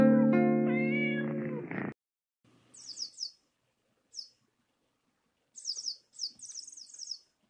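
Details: A red-tabby-point Thai cat, male, born 2013, gives a long, drawn-out wavering meow, jealous and complaining while another Thai cat plays with a toy mouse, followed by high thin squeaky chirps.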